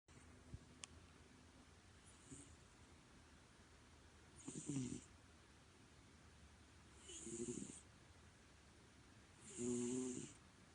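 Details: Domestic cat snoring: soft, raspy snores repeat about every two and a half seconds, each growing louder than the last, over a steady low background hiss.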